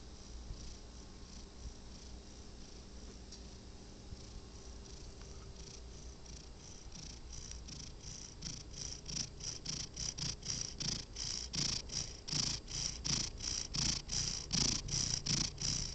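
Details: Domestic cat asleep, its breathing starting faint and irregular, then building after about eight seconds into loud, regular snoring purrs, a low rumble paired with a breathy hiss repeating more than twice a second.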